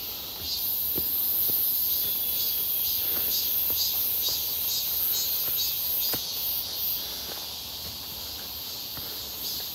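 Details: Cicadas heard on a walk near Seonbawi, clear hot midsummer day, 1 August 2023: a high, dense electric-sounding buzz with a wavering pulsed texture, growing slightly softer toward the end, over irregular footsteps.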